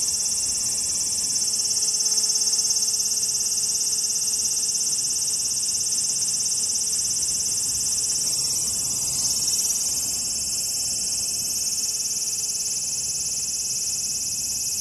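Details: Large brown cicada (Graptopsaltria nigrofuscata), 18 August 2020, sustaining a dense oily sizzle high in pitch, steady in loudness throughout, with a soft low hum and slight background rustle midway.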